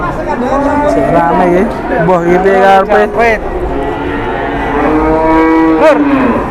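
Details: Very large cattle, described as the jumbo ones this morning, lowing in long, deep, drawn-out moos that overlap and sometimes rise and bend at the ends; a babble of people and low chatter underneath.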